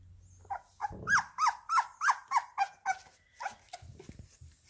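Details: Labrador Retriever puppies being fed minced beef indoors: a run of about ten high, wavering whimpers and yelps rising and falling, roughly three per second, then fading into soft shuffling.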